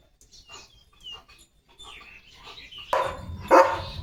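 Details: Leo, a German Shepherd, out in open green countryside in India playing and running with his owner; faint bird chirps early on, then two loud, harsh barks near the end, about half a second apart.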